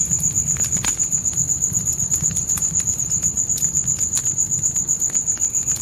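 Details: Night crickets outside a tent in the forest keep up a continuous shrill pulsing, about four beats a second. Sharp fire crackles and a soft low roar from the campfire sit beneath the insect chorus.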